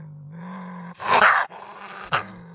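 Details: Gray fox with a low droning growl, then one long, harsh, scratchy bark-scream lasting half a second, followed by a short sharp yap.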